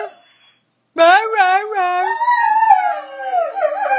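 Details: Eleven-year-old greyhound howling on his birthday: after a brief silence, a loud, drawn-out, wavering howl rises, then slides slowly downward over about three seconds.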